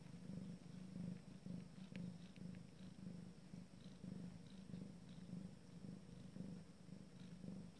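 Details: Abyssinian cat purring at the first family meal of its first litter, a continuous deep droning rumble pulsing evenly about twice a second, with faint scattered clicks in the background.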